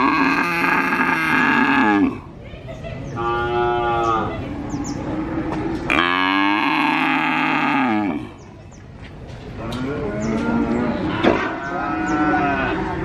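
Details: Calf mooing over and over at a cattle market in Purwokerto, with an adult cow beside it mooing less often; four long, rich, drawn-out moos, some sliding downward in pitch, with short pauses between and steady market background noise.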